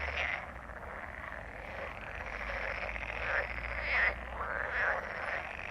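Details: A chorus of frogs croaking together, a dense continuous rasping mass of overlapping croaks with a few louder calls standing out around the fourth and fifth seconds, low background rumble.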